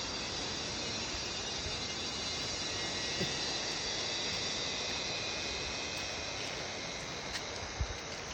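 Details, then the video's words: A loud, unbroken insect chorus in the Sinharaja rain forest jungle fills the air with a dense, high, shimmering drone. "INTO-THE Jungle - insect loud noise (sinharaja rain forest)"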